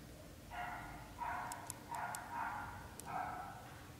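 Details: British Shorthair kittens, a litter born to black golden parents, growing up over their first 30 days: a run of harmonic, nasal meows, about four cries in quick succession with short gaps, plus light clicks.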